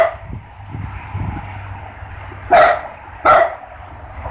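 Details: Barking from one of two dogs, a Great Pyrenees and a mini dachshund, out checking that all is fine. Faint low thumps open the clip, then two sharp, loud barks come roughly a second apart over a quiet hum.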